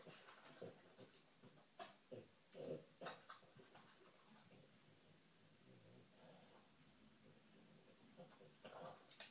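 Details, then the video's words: A she-dog hunts for treats with scattered snuffling puffs and nasal snorts, clustered early and again near the end, separated by quieter stretches of faint breathing. "dog searching for treats"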